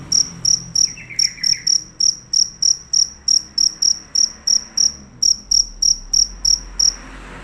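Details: Loud cricket chirping without break, each pulse a sharp high-pitched trill burst, about three per second in a steady run, pausing briefly near the fifth second and then continuing; quiet background hum.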